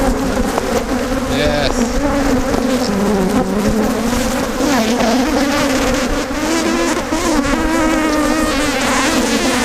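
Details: Angry Africanized honey bees buzzing around a hive as honey is taken out: a steady, thick, droning hum with many wavering overlapping pitches and a brief voice in the background.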